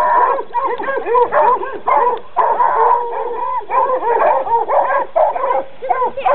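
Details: Coonhounds being trained bark in a steady, rapid stream for several seconds. The harsh, ringing barks overlap, with occasional longer howl-like notes and only brief pauses.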